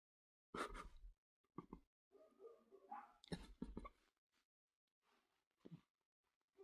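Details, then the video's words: A dog gives short, harsh barks, one loud burst, then a pause, then a cluster of two or three quick barks, with softer grumbling noises in between, recorded in a quiet indoor room. "If you like dogs making noise"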